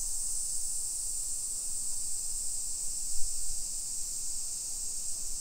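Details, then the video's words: Summer cicadas in a modern hillside residential neighbourhood of Nisshin, near Nagoya, Japan, at 1 PM on 28 July 2021: a steady, unbroken high-pitched hissing drone that holds level throughout. "Summer Cicadas Sounds"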